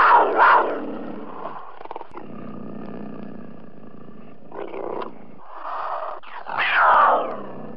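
A cougar gives harsh, rasping snarls and growls, loud bursts at the start and end with a lower rumbling stretch between them.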